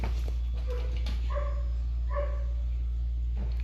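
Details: A shy female Persian cat, one of several in the home, gives two or three soft, fairly level meows, each under half a second, over a constant low hum, during the morning routine while a person speaks nearby.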